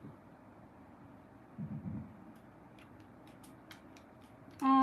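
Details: Quiet indoor hum with a few soft clicks and a brief low thump, ending in a short electronic tone.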